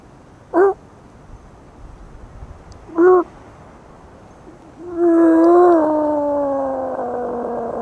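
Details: Dog barking at the moon. Two short, upward-flicking yelps come about two and a half seconds apart. They are followed by a long, steady howl that holds its pitch and then slowly sinks, over a quiet hiss.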